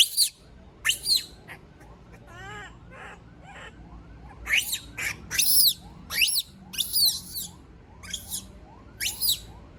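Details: Monkey, a female, crying out when left by herself: loud shrill shrieks alternate with softer wavering whimpers and a run of short rising squeaks between the screams.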